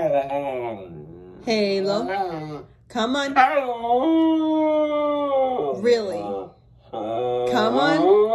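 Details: Halo, a mouthy Siberian Husky, argues indoors with its owner about being on the bed. Drawn-out, wavering howl-like 'talking' phrases rise and fall in pitch, broken by short pauses. The longest phrase holds steady for about two seconds.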